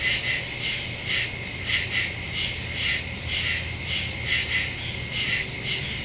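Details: Woodland crickets at night, September 2, 2023, phone-recorded through a Shure MV88+ stereo microphone. Piercing high chirps throb in even beats around two per second over a quiet low-frequency background.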